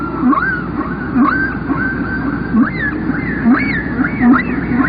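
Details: Humpback whale song with rhythmic, repeated short upswept whoops, each with a higher rising echo, coming about every half second to second over a low rumbling background.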